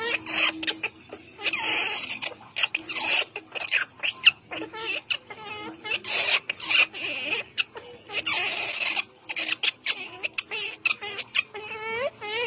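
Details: Young monkey calling for its mother with thin, quavering high-pitched cries, repeated in uneven bursts, separated by dense clicking, tapping and handling noise.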